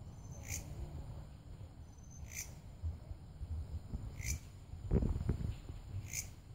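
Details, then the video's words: Repeated short buzzy pulses from a belalang kerek grasshopper, spaced about two seconds apart. A constant thin high-pitched drone and low background rumble accompany them, with a brief clattering noise toward the end. "Suara Belalang KEREK"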